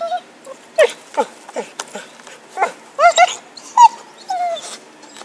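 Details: Pet dog Happy, eager for a stick in 2012, yips repeatedly, about eight short high barks at irregular spacing, ending in a longer, gliding whine, with light knocks in the background.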